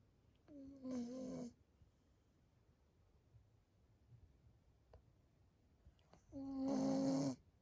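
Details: A sleeping Pembroke Welsh Corgi snoring: two loud, rough, droning snores, each about a second long with a low tonal hum, one near the start and one at the end, separated by quiet breathing.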